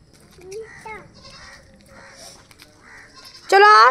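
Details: Domestic goat out grazing while being herded, giving a loud, quavering, harmonic-rich bleat near the end, after a stretch of quieter human voices calling to the animals.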